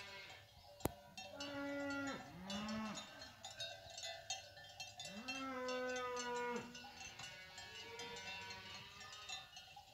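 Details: Cattle, cows and their calves, coming down from the hills; several harmonic moos, some overlapping, rise and hold, including two long ones around the second and sixth seconds, over constant ringing cowbells.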